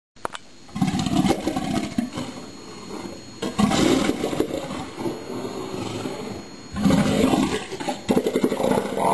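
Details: Southern elephant seal bull roaring among the houses at South Georgia in early spring, as winter snow leaves the hillsides and the first harem forms across the bay: deep, guttural, pulsing roars in three loud bouts separated by brief lulls.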